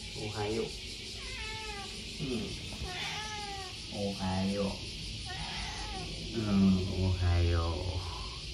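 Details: Odeko, a pet cat, chatters while lying flopped on the floor on a hot day, with several drawn-out, wavering meows rising and falling in pitch, answered by a woman's soft repeated greetings.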